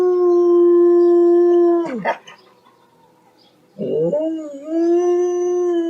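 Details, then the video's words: Dog howling loudly, one of five dog howls: a long steady tone held for two seconds, then a wavering break, a pause, and another sustained howl rising and settling. "Som de Cachorro UIVANDO ALTO (5 Uivo de Cães )"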